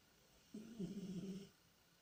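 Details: Tikhon the cat, deep asleep and dreaming, gives one drawn-out low wavering moan of about a second, a soft tonal groan in a hushed indoor room.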